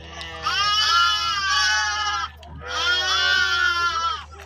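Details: Lamb bleating among sheep, two long loud harmonic bleats of almost two seconds each, wavering slightly, with a steady low hum beneath.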